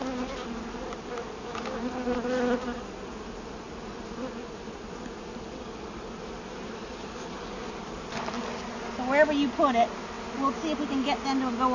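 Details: Bees from a rescued hive in a fallen riverside tree, Merrimack River, hot summer day, as comb is placed in frames; steady buzzing hum throughout, with a person talking briefly near the end.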